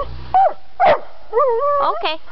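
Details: Dog in the parking lot at Buntzen Lake, wanting out: short sharp barks mixed with drawn-out, tonal whining yelps, while a person talks to it.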